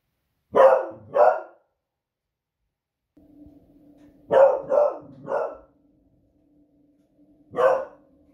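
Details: Beagle Smudge, a female pet dog, barking loudly at noisy fireworks on a Friday evening, raising the alarm at the unusual sound: two sharp barks, then a quick run of three and a single final bark, with a low steady hum between.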